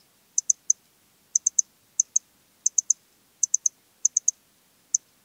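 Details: Eastern Stripe-headed Cricket (Modicogryllus frontalis) singing at Puntigam, Austria, on 10 June 2022: high, clean chirps in short groups of two or three pulses, groups spaced roughly every half to one second, over a quiet background.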